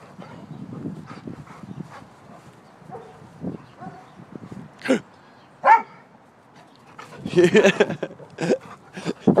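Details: Hungry pet dog wanting to be fed: irregular short barks and whines, with sharp yips around the fifth and sixth seconds and a noisy burst of barking near the end, mixed with voices in the room.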